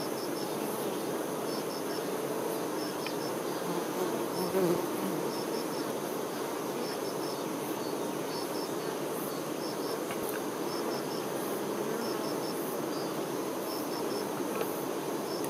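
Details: Western honey bees, workers tending a queen, make a dense, steady, low droning hum with faint high ticking chirps in short groups.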